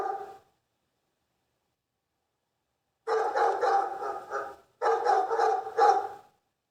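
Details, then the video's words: Barking dog: a brief bark, a pause of about two and a half seconds, then two dense runs of quick, loud barks in close succession. "Лай собаки. Звук лающих собак. Dog's bark. The sound of barking dogs."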